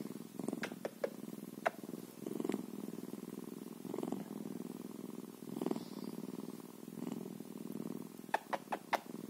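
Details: Bobcat giving a continuous low, throbbing purr that rises and falls in waves, punctuated by scattered sharp clicks at the start and close.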